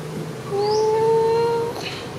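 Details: A long, steady, even-pitched meow lasting about a second, from Sona, a friendly and happy cat, after food.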